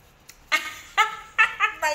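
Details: Pomeranian, described as angry, giving a quick series of five sharp, high, harmonic yaps spaced about half a second apart in a small indoor room.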